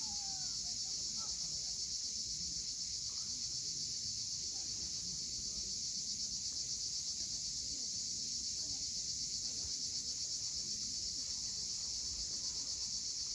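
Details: Cicadas droning at sunset above the sea at Cape Fiolent, Crimea: a thick, level, high-pitched buzz sustained for the whole stretch, faint short chirps early on and soft wave noise underneath.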